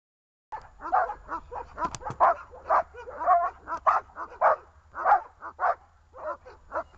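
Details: Dogs Glemmy, Fela and Rey tied on a leash, barking in quick, uneven bursts of high, yelping barks about two per second, some overlapping as if from more than one dog, with a sharp click near two seconds.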